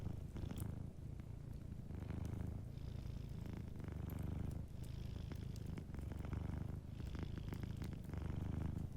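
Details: Sleeping cat purring softly beside a fireplace: a deep, steady rumble that swells and dips with each breath about every two seconds, with light crackles of the fire above it.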